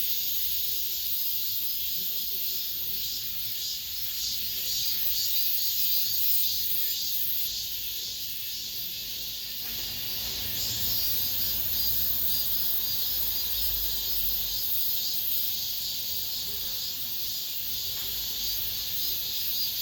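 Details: Cicadas singing the last of this summer inside an apartment complex: a dense, continuous high-pitched buzzing chorus with a gentle pulsing rhythm. A low rumble enters about halfway through.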